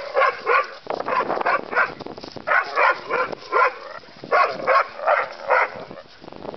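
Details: Terrier mix and bulldog learning to play together, giving quick bursts of sharp, harmonic barks and yips, about three per second, in irregular clusters with short pauses between volleys.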